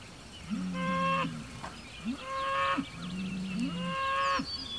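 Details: Hereford bull Homebrew in a weekly standoff with neighbouring bulls across a road, June 2023. Three moaning calls with bright upper harmonics, each ending in a rising upward sweep, spaced about a second and a half apart over soft birdsong.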